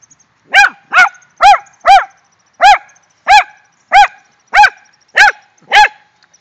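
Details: Rat Terriers Jetta and Sadie, worked up over a shrew, fill the air with ten quick, sharp barks, the first four bunched tightly, the rest spaced about half a second apart, ringing and harmonic-rich.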